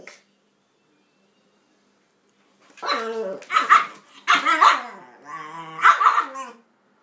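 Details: Pitbull and King Charles spaniel at play; after a silent start, a loud run of drawn-out, tonal barking yelps comes in four bursts over about four seconds, some with falling tails.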